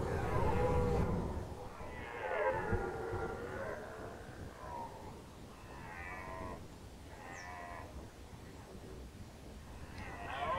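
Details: Red deer roaring in the rut, Nationalpark Unteres Odertal, 2019. Moderately distant, rising and falling moaning calls recur every second or two over a low rumbling background. Near the end comes a brief high squeak.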